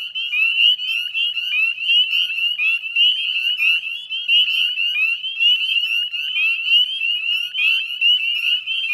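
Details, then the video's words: Many northern spring peepers singing together at a salt marsh in West Chezzetcook, Nova Scotia, Canada, on a May 2020 evening at dusk; shrill overlapping peeps rise sharply and blend into a constant, high jingling drone. "Northern Spring Peeper Chorus"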